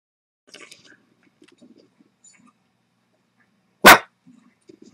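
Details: Buddha, a blind female Boston Terrier, reacting uneasily to a squeak toy sound played through speakers. One sharp, loud bark cuts through, with soft rustles and faint murmurs before and after.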